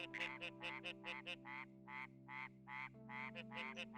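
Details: Red-eyed tree frog calling, its voice amplified by throat vocal sacs that let it carry over long distances; short harmonic croaking notes repeat roughly twice a second, in groups with brief pauses, over a steady low musical drone.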